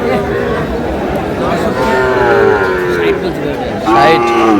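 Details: Young Sahiwal bull calves at a market, 19 May: a long, slightly falling moo sounds mid-clip, and a sharper, louder bellow breaks out at the end, against busy human chatter and haggling.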